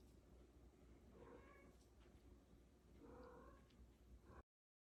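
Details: Female cat adopted from a shelter, making sweet sounds while carrying her toy indoors: two soft, short, slightly rising meows with clear harmonics, about two seconds apart, over a quiet room hum.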